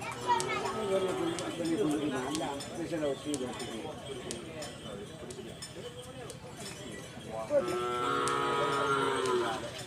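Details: Cattle at a Karapan Sapi bull-racing training session on Madura, East Java, Indonesia: a long, low harmonic moo near the end, amid busy crowd chatter, shouting voices and sharp clanking knocks.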